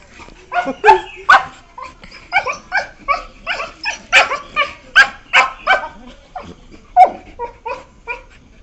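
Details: Beagles aged 1 year 4 months, filmed 12 September 2021, playing together: rapid, almost continuous string of high yelps and barks, roughly two or three per second, uneven in loudness.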